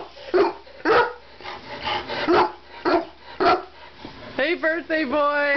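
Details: Chihuahua barking while chasing cars: sharp, punchy barks come about twice a second, six in quick succession, followed by a wavering, higher tonal vocal sound at the end.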